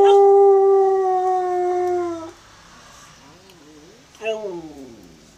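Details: A Cocker Spaniel howls at a passing ice cream van, a long, steady howl that sags slightly in pitch before breaking off.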